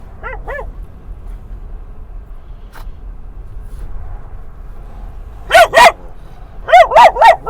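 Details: Dog barking at other dogs during a ride to a San Diego dog park at sunset: two quick barks, a few quiet seconds of low rumble, then a loud burst of five harsh, harmonic barks in close succession.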